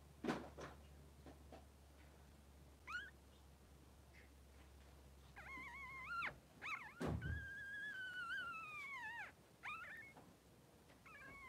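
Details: Newborn Blenheim Cavalier King Charles Spaniel puppy, 3 days old, in a pen with its mother Pom-Pom: thin rising squeals, then a long wavering whine that sags and lifts, with a few knocks and soft room noise.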